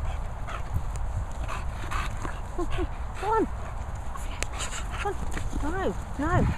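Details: Moll, an English Bulldog, wanting food: high arching whimpers, a pair near the middle, then a quick run of rising-and-falling whines at the end, over a steady low rumble with some human speech.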